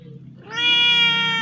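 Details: Hungry, thirsty cat badly afflicted with scabies, crying at a house where it came for help; after a quiet start, one long, loud, steady meow holds for about a second.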